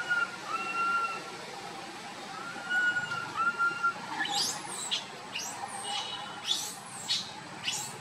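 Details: Small monkey walking along with its group gives two or three drawn-out plaintive whistled cries, level in pitch. After that come quick sweeping high bird chirps repeated over the last four seconds.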